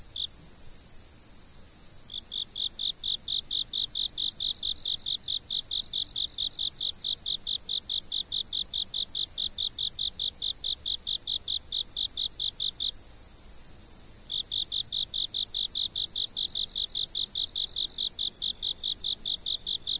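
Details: Chirping insect filmed by a fixed camera: a loud, rapid, evenly pulsed trill about 140 beats a minute, paused briefly near the start and again midway, set over a steady high-pitched ringing chorus of other insects.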